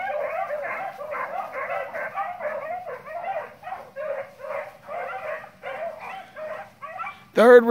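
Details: A pack of line-bred rabbit beagles in relentless pursuit of cottontail rabbits bays on the trail, with rapid, ringing, overlapping cries in steady bursts.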